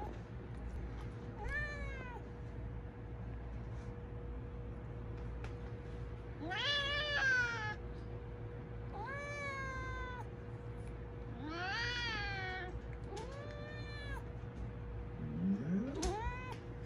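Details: Domestic cat screaming for food, a run of loud, wavering meows rising then falling, roughly every one to two seconds, over a constant low electrical hum.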